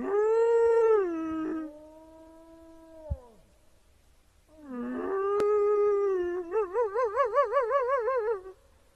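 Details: Wolves howling: a loud howl that rises, holds and falls, a lower sustained note, then after a pause a new howl climbs and breaks into a rapid, quavering wobble of about a dozen pulses.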